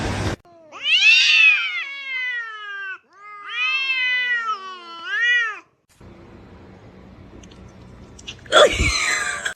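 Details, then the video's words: Kitten meowing and calling: a few loud, drawn-out, wavering meows, each rising then falling over one to two seconds, separated by short gaps, followed by quiet room noise and a sudden loud scraping burst near the end. "kitten meowing call"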